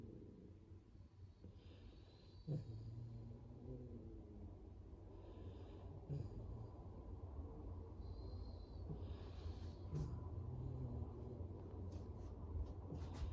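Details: Dog snoring, low rumbling snorts returning roughly every three to four seconds over a steady deep background rumble, with faint higher hissy breaths between.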